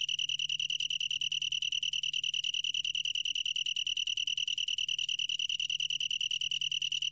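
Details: Long-tailed tree cricket singing in a 2020 recording from the National Institute of Biological Resources. Its continuous bell-like high trill beats in quick, regular pulses. A faint steady hum lies beneath it.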